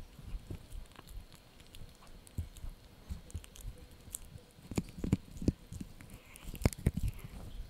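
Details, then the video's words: Male Yorkshire Terrier puppy chewing a dried bunny ear: irregular crunchy bites and sharp clicks over soft low thumps, crunches growing louder and denser toward the end, in a quiet room. "Yorkie Puppy Eating Dried Bunny Ear 🐾 | Funny Faces & Crunchy Sounds!"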